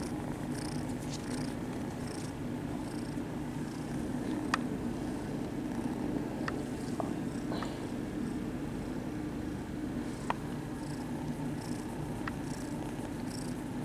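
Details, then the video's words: Friendly, attention-seeking kittens purring in a cat cafe; a steady, even low rumble runs throughout, with a few sharp faint clicks and light rustling over the top. "Overload of purring kittens"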